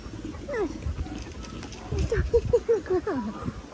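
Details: Young Australian cattle dog Linc playing with the big puppies in a paddock, giving a run of short, high, downward-sliding yips, several in quick succession near the end, over rustling and low background noise.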